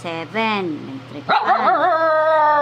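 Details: Siberian Husky answering back to its owner, who also calls it a biter: short whiny yowls, then a longer wavering, warbling vocal run that bends up and down in pitch, with a person's voice mixed in.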